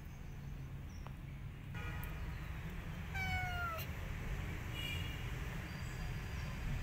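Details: A scared kitten seeking protection while a street cat visits for food gives faint short mews, then one clear, drawn-out descending meow. A steady low rumble of traffic runs throughout.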